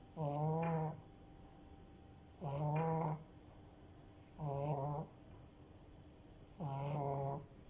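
A French Bulldog snores steadily, each breath a low, buzzy rattle lasting under a second. The snores come at an even pace about every two seconds, with quiet pauses between them.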